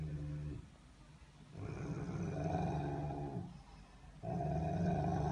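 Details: Rumbling growl of a Rottweiler: three low, throaty bouts, one short and two longer, with the later ones swelling in strength and a rough upper edge.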